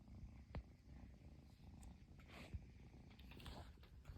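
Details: Persian kitten purring nonstop after its owner finally came home, in Japan; a steady low rumbling purr with a few soft thumps and faint rustling.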